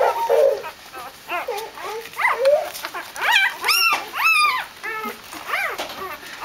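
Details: Dobermann puppies greet their mother Jessica as she returns from a walk: a quick run of high, bending whines and yelps, some rising and falling sharply, several overlapping, with short pauses between bursts.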